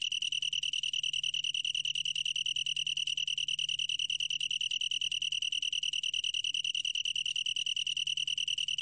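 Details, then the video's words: Continuous ringing trill of a long-tailed tree cricket, from the National Institute of Biological Resources, 2020, Korea. Rapid, even pulses merge into one sustained high note with faint upper overtones. Nothing else is audible. "긴꼬리, 1번 듣기, 곤충소리"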